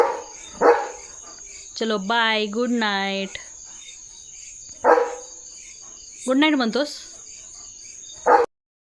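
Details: German Shepherd named Leo at night, playing catch in the courtyard of his Indian home. Three abrupt single barks about four seconds apart alternate with a man's drawn-out spoken words, over a constant thin high-pitched hum.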